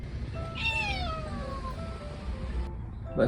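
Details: Pet cat Odeuri, voice gone hoarse after tooth extraction surgery, makes one long descending meow that trails off gradually, with soft background music and a brief noise burst near the end.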